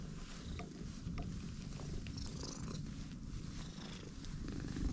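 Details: A stray cat purrs from the moment it meets a person: dense, continuous low-pitched rumble with even pulsing and faint higher rustles above.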